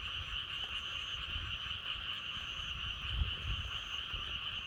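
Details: Frogs croak together as a continuous, even trilling wall of sound, with wind in the background. Soft low rumbles of wind come and go beneath the chorus, and faint high notes appear briefly.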